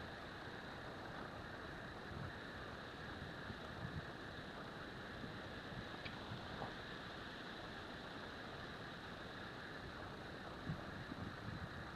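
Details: Quiet broadband rumble and hiss like wind or distant traffic, with no animal sounds.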